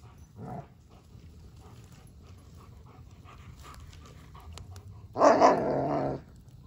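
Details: Odin, a German Shepherd, playing with his favourite toy, a log: a short low grunt early on, then one loud harmonic bark-like vocalization lasting about a second, over quiet background rustling.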